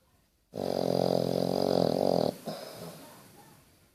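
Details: Basset Hound asleep, giving one long steady rasping snore lasting nearly two seconds, then a softer fading exhale.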